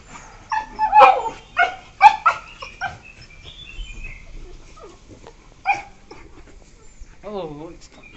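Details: Two 1-year-4-month-old Beagles give sharp, high yelps and short barks in quick bursts while playing together; recorded 12 September 2021.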